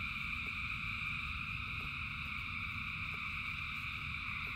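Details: A huge frog chorus in falling rain, countless voices merging into a constant ringing buzz at several pitches; steady low rain noise beneath and a few brief drip taps.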